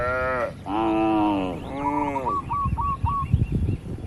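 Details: Feeding cattle in a barn give two drawn-out moos, the second fading off, then quick chirping bird notes over low thumping and rustling sounds.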